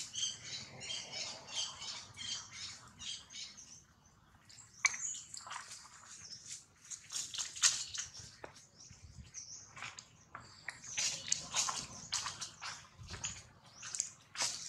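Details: Baby monkey Jinx crying loudly after being bitten hard by another monkey, Jade; a rapid run of high, shrill, squealing cries for the first four seconds, then scattered sharp squeaks and clicks with soft rustling and a low hum beneath.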